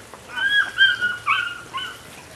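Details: Nine-week-old female puppy from Rodin and Katana gives a drawn-out, wavering whine in several rising and falling pulses over two seconds, thin and high, against a quiet room.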